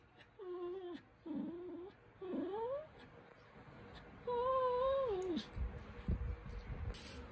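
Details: Cookie, a pet poodle puppy, seeks attention with a run of high, tonal whines. They rise and fall, and the longest is drawn out near the end. Soft thumps and rustling follow.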